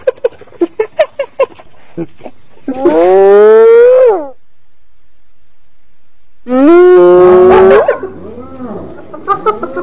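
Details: A hyena's two long whoops, each rising gradually and then cutting off, separated by a few seconds of silence. Short clicks come before them and soft wavering moans follow.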